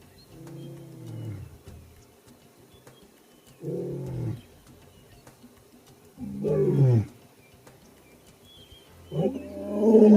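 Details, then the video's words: A male lion gives deep, rumbling roars in a series of low, harmonic bursts every few seconds, proclaiming territory to other lions and locating pride members such as his absent partner. "Lion Roar Sound"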